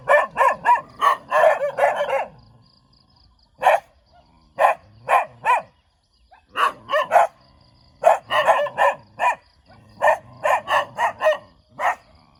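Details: Friendly dog wagging its tail while barking repeatedly: rapid volleys of sharp, punchy barks broken by short silences, several separate bursts of three to seven barks each.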